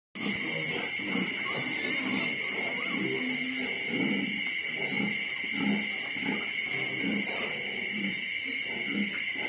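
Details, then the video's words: Litter of 25-day-old piglets the night before being separated from the sow for weaning: dense overlapping grunts and squeals throughout, over a steady high electrical whine. "Bầy heo con 25 ngày, sáng mai tách bầy"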